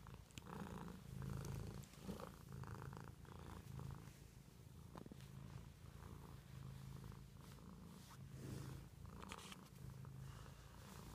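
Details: Low, even purring from a domestic cat, the rumble swelling and easing with each breath about once a second, accompanied by occasional light taps and rustles.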